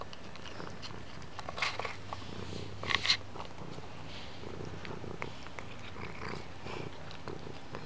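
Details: Toothless kitten chewing on things indoors, purring with a low steady rumble that is strongest in the first half, mixed with sharp crackling bites and chewing clicks.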